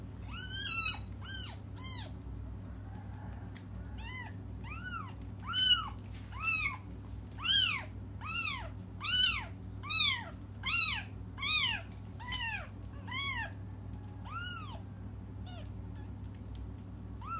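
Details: Waiting for their mother, the young cats cry nonstop: rapid, bright, arching meows from more than one voice, coming about twice a second with loud peaks, easing toward the end.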